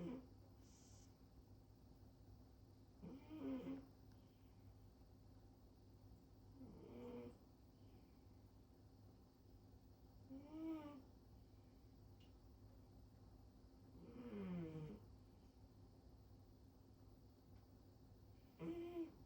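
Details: Female cat asleep belly-up on top of a fridge, snoring loudly indoors: soft, faint snores about every four seconds, each a short rasping breath with a low buzzing tone, over a steady low room hum.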